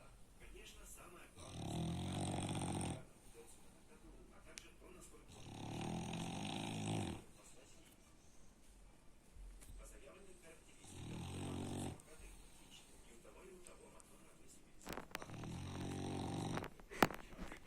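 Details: Very loud snoring from a French Bulldog, four coarse low rattling snores spaced roughly every four seconds, with soft breathing between them and a brief click near the end.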